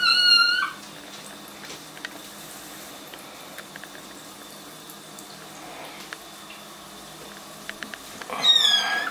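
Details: High, sharp kitten meows, one opening and one closing, with a quiet stretch between of faint drips and taps. The kittens are in a bathtub during their first week home and seem unhappy about it.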